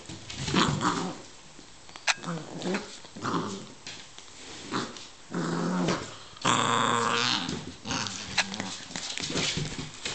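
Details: Kaiser, a two-month-old beagle puppy, plays with his soccer ball indoors on 28 January 2006. Low rumbling growls come in several short bursts amid scuffling and rustling of the ball, with one loud scraping burst midway.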